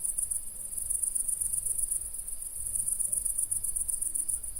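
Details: Night crickets in the countryside trilling in fast, high-pitched pulse bursts repeated without break, over a soft low background hum.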